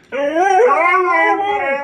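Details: Siberian Husky, described as a good communicator and a little demanding, gives a short rich howl that starts abruptly, bends upward, then holds a steady wavering tone for under two seconds.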